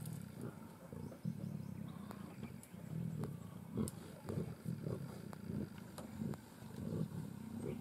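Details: Three adult Sri Lankan leopards in Yala National Park, Sri Lanka, feed together on a carcass and growl at one another over the best feeding spot. Low, rumbling growls pulse throughout, with scattered sharp clicks and knocks.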